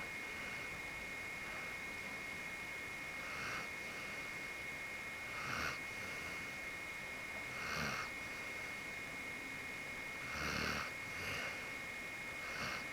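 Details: Genki, a pure white Akita dog, fully relaxed in deep sleep, snores softly: faint breathy snorts at uneven intervals of about two seconds, under a steady high electrical whine.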